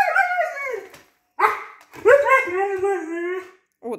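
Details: Husky Baikal, a talkative dog, pleads indoors to go out, making long wavering harmonic howls shaped like words, three drawn phrases with a brief yelp at the end and quiet room sounds between.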